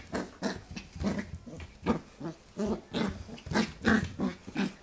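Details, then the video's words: Playful growling from a young Pembroke Welsh Corgi tussling with a hand, recorded in 2014; rapid, uneven bursts of low raspy grunts, roughly three per second, in a small quiet room. "cute puppy Vs. hand / コーギー子犬 Vs 手 welsh corgi pembroke"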